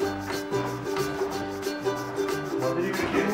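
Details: Bright plucked ukulele-style music with steady strummed chords in a small indoor room, no animal voices heard.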